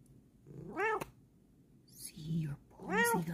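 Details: Pet cat, female, giving two clear arched meows about two seconds apart, with a soft low human voice murmuring between them indoors.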